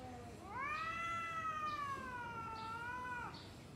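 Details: Domestic cat in a pre-fight standoff: one long, drawn-out yowl rising at the start, wavering gently across nearly three seconds before breaking off; faint knocks in the background.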